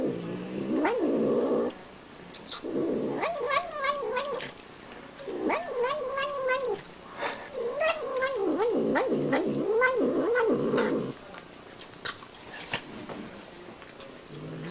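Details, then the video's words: Domestic cat making odd vocal sounds while eating: wavering, moaning, caterwaul-like tones in bursts of one to three seconds, sliding up and down in pitch with rich harmonics, broken by short pauses and soft chewing clicks. "Cat Makes Hilarious Sound When Eating"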